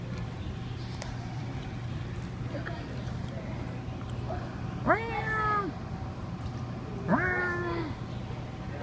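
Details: Domestic cat reacting to air blown at its rear, giving two drawn-out, wavering meows a couple of seconds apart over a steady low hum.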